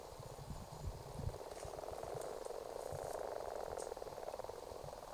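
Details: Common frogs gathered to breed in a ditch in Argyll in February 2018, a congregation producing a dense, continuous purring chorus of soft croaks, with faint low knocking sounds underneath.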